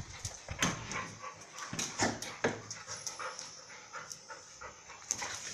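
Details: Dogs Mai and Mocca playing together at Phuket Dog Resort: short rough growling bursts and yips come in irregular clusters. A steady high background hiss runs underneath.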